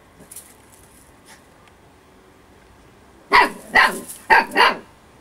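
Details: Storm, an over-playful eight-week-old female Husky puppy having fun, lets out four quick, bright yips in a rapid run near the end after a mostly quiet start.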